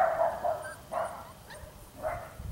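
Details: Litter of 31-day-old Belgian Malinois puppies in Arizona, three-quarters French lines, filmed January 18, 2014: three bright, high yips spaced about a second apart, with a person talking in the background.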